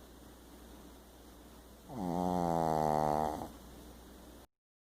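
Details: Sleeping pet dog snoring loudly for its size: one drawn-out buzzy, harmonic snore lasting about one and a half seconds, rising in and fading out, between soft breathing in a quiet room.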